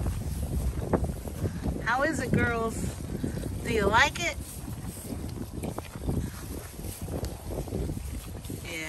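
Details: Female Pygmy goats (Capra hircus) on a Knoxville, Tennessee farm give wavering, quavering bleats while enjoying a treat of orchard grass hay, over a woman's voice and steady wind noise.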